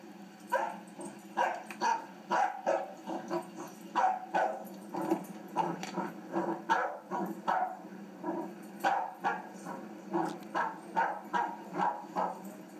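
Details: Three-month-old puppy at play, barking and yipping in a rapid, fairly steady series of short, sharp barks, roughly two per second, running throughout.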